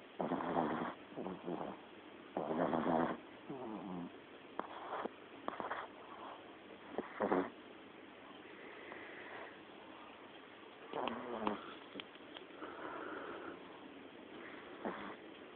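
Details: A tiny Lhasa Apso puppy, tired out and fast asleep, snores loudly in rough, rattling breaths repeated every couple of seconds.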